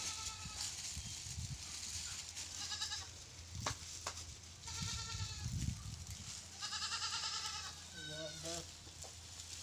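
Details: Pateri goat with four kids, a series of wavering, nasal bleats repeated every second or two, some higher and shorter than others, over a steady low hum and faint human voices.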